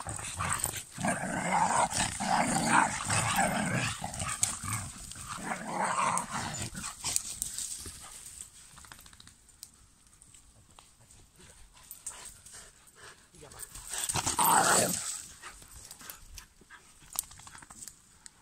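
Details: Five German Pinschers, Lincoln, Molly, Figa, Queen and Raya, recorded in August 2021. Rough, broadband growling and barking bursts fill the first seven seconds, fade to quieter rustling, then flare again briefly around fourteen to fifteen seconds.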